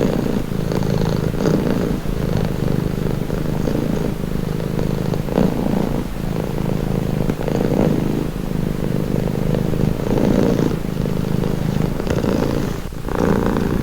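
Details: Domestic cat purring steadily and continuously, a deep low rumble pulsing in soft waves of breath, with brief brighter swells about every second or two and no other sounds.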